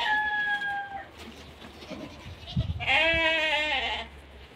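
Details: Sheep, one of two ewes and a Sardi ram in M'Sila province, Algeria; a short steady tonal bleat opens, then after a muffled thump comes a longer, strongly quavering bleat lasting over a second.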